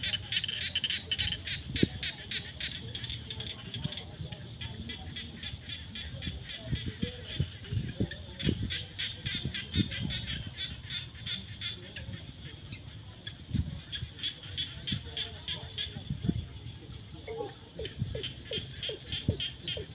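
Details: Frogs crying in rural fields at sunset in the rainy season: bursts of sharp rapid clicking croaks in runs of several seconds, with scattered lower croaks and a continuous high hum behind.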